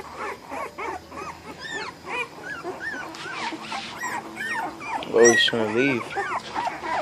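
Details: American Bully puppies in a mixed litter of males and females keep up a busy chorus of thin, curving whines and squeaky yelps. One louder, sharper squeal bursts out near the end, and a person speaks softly in the background.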